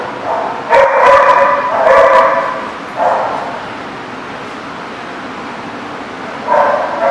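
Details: Dogs barking in short bursts: two sharp barks close together early on, another around three seconds, then a pause before a final bark, over a steady background hiss.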